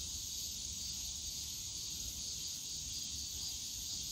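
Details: Summer cicada chorus in the Yongsan Family Park bamboo grove, an unbroken shrill buzzing wall of sound that holds level throughout, with faint low park background rumble beneath.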